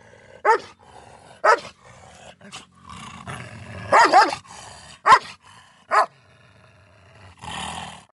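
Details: A Miniature Schnauzer fighting with a German Shepherd lets out sharp, gruff barks in short bursts, roughly a second apart.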